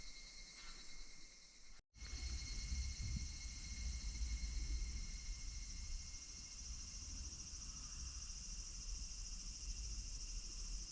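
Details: Higurashi cicadas in August 2026 at Minoo Park, Kawachinagano and Mount Koya: a steady, shimmering high insect drone with fine pulsing, broken by a sharp cut near two seconds, over a low rumble of background noise.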